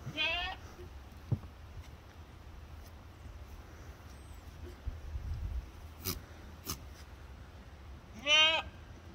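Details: Baby fainting goats playing with a Siamese cat give two short, quavering bleats, one at the start and one near the end, with quiet indoor background, faint clicks and soft human speech between.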